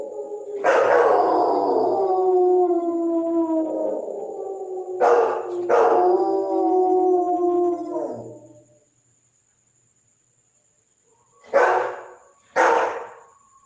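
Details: German Shepherd howling: long tonal howls with wavering harmonics that slide slowly downward, broken by brief broadband bursts, then a pause and two short sharp yelps near the end.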